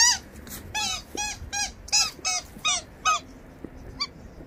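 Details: Labrador Retriever giving a quick series of about ten short, high, squeaky whines, each a brief tonal yelp with bright overtones, repeated several times a second and falling quiet near the end.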